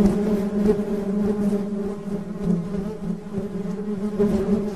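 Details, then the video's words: Honey bee buzz, quieter here: a low, even drone with harmonic bands, pulsing slightly in volume over nearly five seconds. "Suara Tawon Madu"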